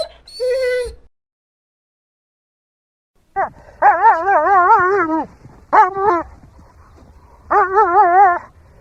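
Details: Dog whining: one short thin squeak, a pause, then long quavering whines with a wobbling pitch, broken by a brief yelp and followed by another wavering whine.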